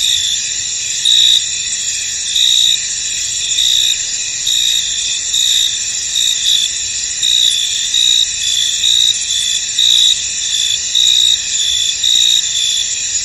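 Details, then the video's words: High, thin cricket chirping fills a misty field: a steady ringing chorus with louder pulsed trills recurring about every second over the constant background of many insects. "Tranquil Cricket Sounds In An Misty Field"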